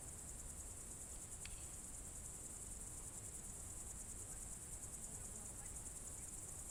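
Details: June 2023 evening in the Novye Buregi tract, Novgorod Oblast: a dense, unbroken high cricket trill continues throughout, with one sharp brief click near the start and low background noise.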